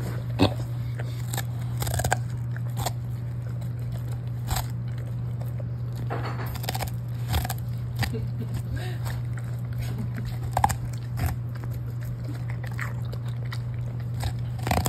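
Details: Golden Retriever named Lucky, a pet large dog, eating cabbage indoors: crisp crunching bites at irregular moments over a steady low hum, with faint speech now and then.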